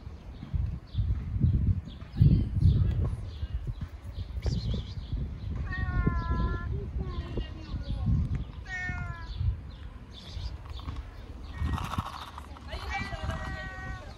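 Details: Loud meows from a fat ginger cat that wants to eat, three separate wavering calls spaced a few seconds apart, mixed with handling noise and indistinct background voices.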